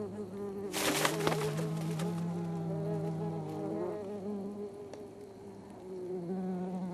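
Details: Ground wasps defending their underground nest against an attacking Oriental honey buzzard give a steady, low droning buzz wavering slightly in pitch, with a brief burst of rustling and wing flapping near the start, in a high-mountain forest in Korea.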